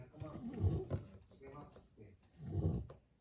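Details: A Beagle asleep, snoring: two deep, growling rumbles about two seconds apart, each swelling and fading, with quieter breathing between them.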